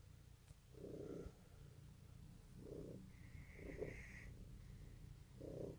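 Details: Domestic cat purring in the morning at Easter 2018: a steady low rumble with soft, breathy swells about every one and a half seconds, plus a faint higher tone near the middle.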